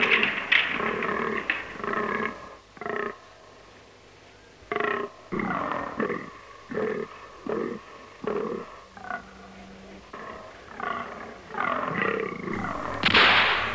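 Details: Autumn rut of fallow deer bucks in Romanian broadleaf woods: a long run of gruff, throaty grunts, bunched into rapid clusters with brief pauses, and a louder burst near the end.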